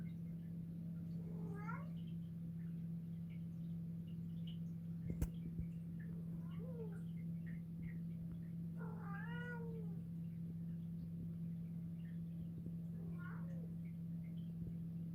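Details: White female house cat indoors, staring at something on the ceiling, meowing continuously: soft, rising-then-falling meows, about five over fifteen seconds, over a steady low electrical hum.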